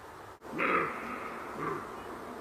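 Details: Roe deer calling: a hoarse, drawn-out call lasting about a third of a second, then a softer, shorter echo of it about a second later, over a steady low hiss.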